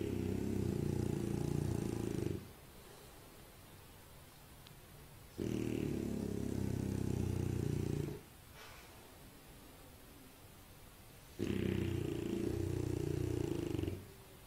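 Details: Sleeping French Bulldog snoring in three long, low, rattling bursts of about three seconds each, separated by quiet pauses of similar length as it breathes in and out, with a faint higher wheeze over the rumble.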